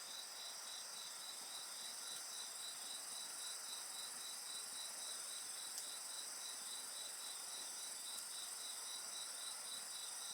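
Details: Dense insect chorus near a fire, layered high continuous trills over a rapid regular chirping beat, with only a couple of soft crackling pops from the flames.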